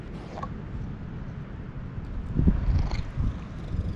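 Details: Stray cats being petted, a ginger tabby yawning again and again as a brown tabby barges in, filmed on a GoPro HERO8; a low, rough purring rumble runs under rustling handling noise, louder around the middle.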